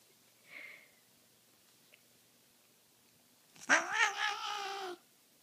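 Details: Butter, a male pet cat on a blanket sprayed with catnip spray, indoors: a faint short call, then after a pause a loud, drawn-out, wavering yowl of about one and a half seconds with rich harmonics.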